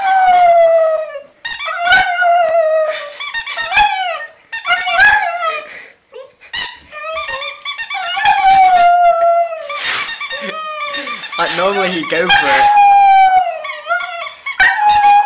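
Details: Border Terrier howling in separate long, mournful notes, each falling gently in pitch, some bursts ending in yips, with short silences between phrases and a rougher, noisier stretch late on.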